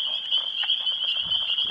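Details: Two male Northern Leopard Frogs calling to attract females during the April breeding season, just after waking up, while also fighting over territory; a low, rattling growl of rapid pulses sounds under a steady high insect-like drone.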